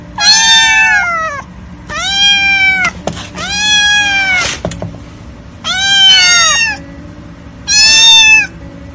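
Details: Kittens meowing in five drawn-out, harmonic-rich calls, each about a second long, sliding slightly down in pitch at the end, separated by short pauses, with a faint low background hum.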